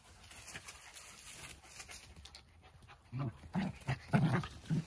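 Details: Jack Russell Terrier pair in a friendly wrestling match: quiet rustling first, then a quick run of deep, gravelly growls and huffs packed into the last two seconds.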